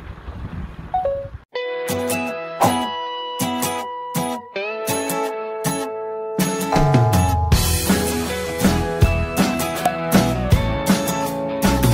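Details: After a short hiss of outdoor noise, plucked guitar music with steady rhythmic chords takes over, and no animal sound is heard.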